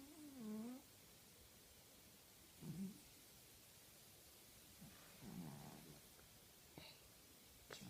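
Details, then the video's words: A female tabby pet cat dozing indoors makes one clear low, nasal snore at the start, followed by softer, rougher breathing snorts and a few faint clicks. "Cat snoring like a sailor!"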